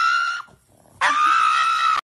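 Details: Pug dog screaming like a human while getting its nails trimmed: a brief high, harmonic, steady-pitched scream, a short pause, then a longer sustained scream of about one second, cut off abruptly.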